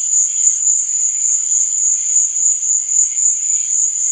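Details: Crickets at night give an unbroken high-pitched shrill trill with a quick regular throb, backed by faint murmuring lower notes.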